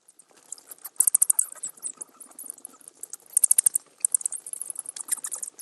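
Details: Bats give shrill, high squeaks in rapid trains, with loud clustered bursts near the start and middle, separated by softer scattered chittering and clicks.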